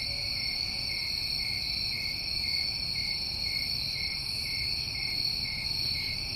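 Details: Summertime crickets recorded in New England: an even, continuous shrill chirring from many insects, high and unwavering, with a light low rumble in the background.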